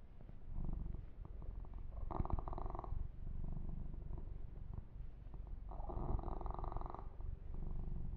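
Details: Male kitten under massage gives a rough, low, snore-like purr, broken by two rustling bursts of fur grooming and quieter patches of soft rubbing.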